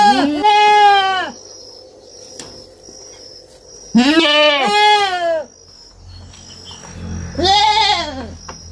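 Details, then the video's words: Young goat on a farm bleating in three loud, quavering, harmonic-rich calls about a second long each, separated by quiet gaps with faint background hiss. "Som de fazenda e cabrito berrando"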